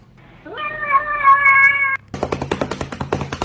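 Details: Single cat meow, rising at the start and then held steady for over a second, followed by a run of rapid, evenly spaced tapping sounds.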